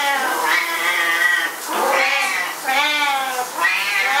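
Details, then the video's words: Loud, drawn-out caterwauling from two Siamese cats agitated during the owner's shower, with three or four swelling meows that bend in pitch and blur into one another indoors. "Our Siamese Cats at Shower Time"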